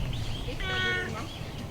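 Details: Chatty urban stray cat greeting someone: one drawn-out meow with a steady, bright tone, set against background street noise and a human voice.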